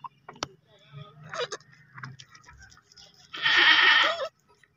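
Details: Baby goat bleat heard near the end: a single loud, rich, nasal call of about one second, after quieter clicks and soft murmuring voices.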